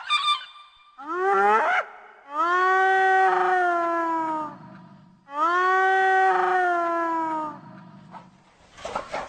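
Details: Hyena giving a rising whoop, then two long, drawn-out harmonic calls, each lasting about two seconds and sliding slightly downward, separated by short pauses.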